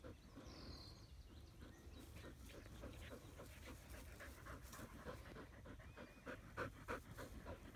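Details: An Australian Shepherd resting in the shade under a willow tree pants steadily, quick breathy huffs repeating several times a second.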